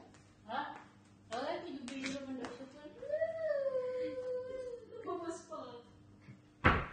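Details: Siberian Husky named Max, a pet playing indoors while waiting for food, gives a drawn-out wavering whine-howl that rises and falls, mixed with short yelps and a woman speaking Tagalog over it.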